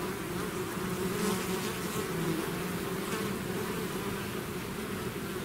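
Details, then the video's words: Buzzing of a bee swarm out of its hive: a thick, unbroken drone of many insects, with single bees passing near and briefly raising higher, wavering hums around the first and second seconds. "bees therapy swarm natural buzzing sound"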